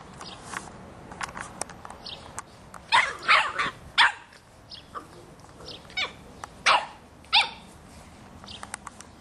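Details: Boston Terrier puppy, three and a half months old, barking at a soccer ball while people kick it around a yard; a burst of quick high barks in the middle, scattered clicks and thuds, and a later pair of barks.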